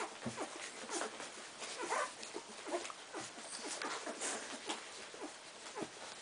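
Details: Fifteen-day-old Cardigan Welsh Corgi pups jostle at their mother to feed, giving short rising and falling squeals and brief whimpers scattered through the clip over a bed of rustling and wet suckling sounds.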